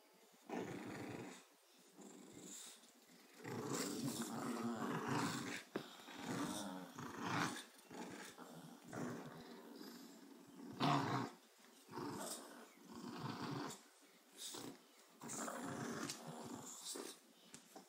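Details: A Bulldog and a Boston terrier growl in rough, rumbling bursts while playing tug of war, with brief pauses between rounds.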